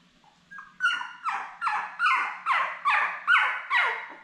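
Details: Newborn Labrador Retriever puppies, a litter of seven born May 24, 2021, indoors with their mother Belle on 4 June. A run of about eight loud, high, harmonic squeals, each falling in pitch, repeating roughly every half second.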